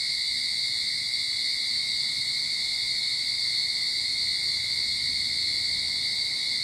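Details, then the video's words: Start-of-summer cicada chorus from a backyard in Sydney, a continuous shrill buzz that never pauses, layered as a strong high hiss over a fainter steady tone below it. "Cicada Sound to Calm your Mind"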